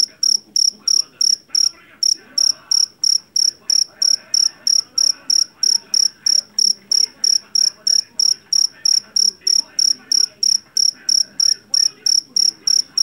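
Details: Javanese cricket, or jangkrik jeliteng, caught in a rice paddy and kept for its loud voice that repels household rats; rapid shrill pulsed chirps repeat steadily about three per second with a brief pause near the start.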